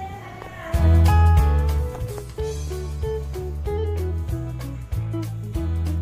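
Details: Strummed guitar music with a strong bass line plays throughout, with no animal sound. The music is steady from start to finish.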